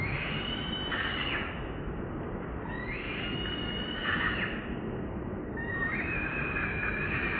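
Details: Moonpie, a newborn monkey, cries to its mother for milk. Three long, high, wavering wails follow each other every few seconds over a constant noisy background.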